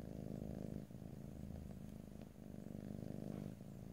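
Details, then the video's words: Domestic cat purr heard close in stereo, nobody talking; rich low rumble alternating louder and quieter with each breath, two clear cycles and a brief softening between them. "ASMR Cat: Purring"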